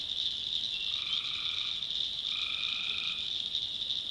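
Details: Night swamp chorus of tree frogs in backwoods North Carolina, a continuous high-pitched ringing wash with two lower, buzzy, sustained notes in quick succession over it.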